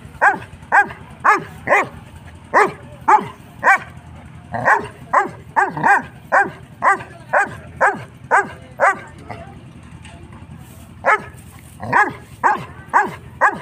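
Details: A 6-month-old Saint Bernard puppy barks at a goat in a steady series, about two barks per second with brief pauses.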